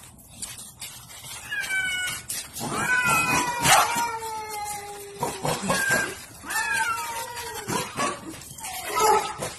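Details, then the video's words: Pet cats in a fight, with a dog acting as referee. Harsh caterwauls drop in pitch and then hold steady, one after another, with bursts of scuffling noise and a final strained growling cry. "Cat Fight and Dog Referee"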